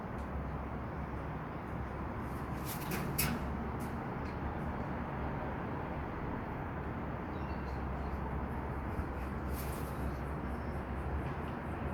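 Steady low rumble of traffic and wind, with a few faint clicks and no clear animal calls.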